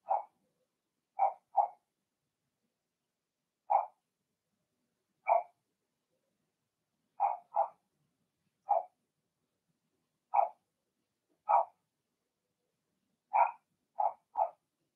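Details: Blenheim Cavalier King Charles Spaniel puppies, Remy's first litter of two girls and four boys, barking in an indoor puppy pen: a steady run of about sixteen short, high yaps, often in quick pairs or triplets.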